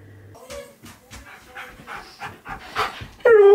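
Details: Siberian Husky, male, reacting during a reunion with his best friend as his favourite words are spoken; soft broken whimpers under a person's speech, ending in a loud, sustained, slightly falling whine with clear harmonic bands.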